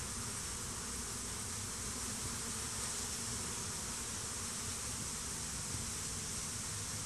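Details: Crowds of honey bees swarm over a stump near the hives in a bee war, some of them fighting. They make a continuous, even droning hum that holds without pause for the full seven seconds.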